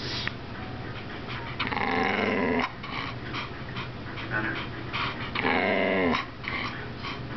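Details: Bull Terrier. A Bull Terrier gives long, modulated growling moans with a sing-song, talkative quality, breaking into two sustained bursts. A person's voice can be heard faintly in the background.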